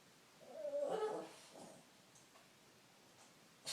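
A Shih Tzu gives a drawn-out, nasal whining moan, followed by a shorter, softer whimper.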